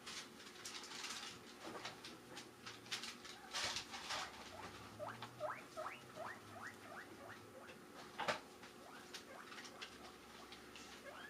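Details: Guinea pigs kept as household pets squeal in a run of rising, whistled wheeks, set off by someone crinkling a bag, which they expect means lettuce.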